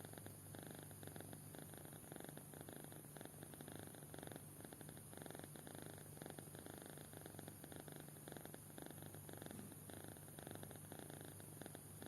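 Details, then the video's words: Kitten in deep sleep snoring continuously for twelve seconds, a dense purring-like rasp of quick pulses with slight swells, quiet and even, over a faint constant hum. "Anak Kucing Tidur Pulas Sampai Ngorok"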